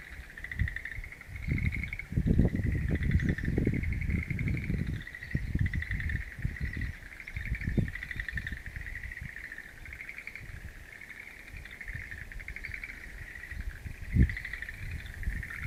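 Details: Frog chorus in a mountain wild-plant garden on April 11, 2013: dense rattling trills repeat in overlapping bouts at an even mid-high pitch, with low wind rumble loud early on and a sharp knock near the end.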